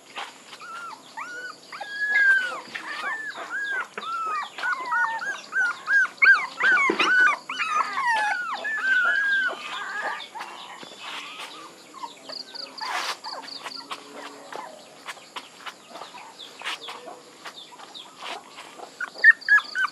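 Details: Puppies whimpering in a quick, overlapping cluster of arched squeaks early on, then quieter, sparser cries among background clatter and a faint steady tone.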